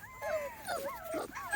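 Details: Brief, thin whimpering from 2.5-week-old Small Munsterlander puppies on their first outing outside: a few rising-and-falling squeaky cries in quick succession, closing on a louder yelp.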